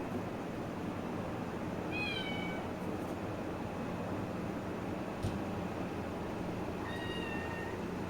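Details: Kitten at play giving two soft, short meows about five seconds apart, thin and slightly falling, against a constant low hum, with a single sharp knock between them.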